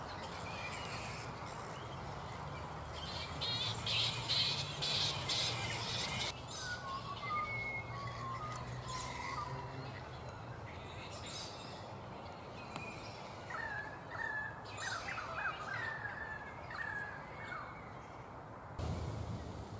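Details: Black flying foxes (Pteropus alecto) in their roost at mid-morning, not yet settled for the day: harsh, broadband screeching squabbles burst early on, then softer scattered chatter, with a bird's short whistled notes and steady background hiss.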